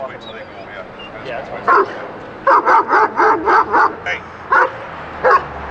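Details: Highly aggressive German Shepherd, arriving for a six-week board and train, during a hand off to a trainer in Buffalo, NY; a quick run of six sharp barks, then two more single barks, with a man speaking beforehand.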